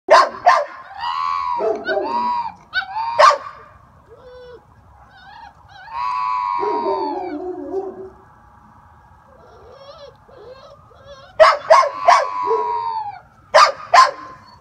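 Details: A Great Pyrenees puppy that dislikes being left alone gives wavering, high howls broken by sharp yips and short barks.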